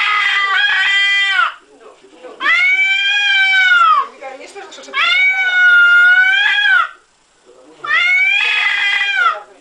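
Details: Four long, wailing yowls from an angry indoor cat, each bending up and then down over about one and a half seconds, separated by brief silences, while someone repeatedly calls Timofey.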